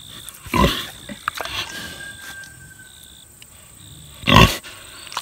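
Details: Six-year-old boar pig eating tomatoes: two loud, short, rough grunts about four seconds apart, with faint wet smacking and chewing noises between them and a steady high hiss in the background.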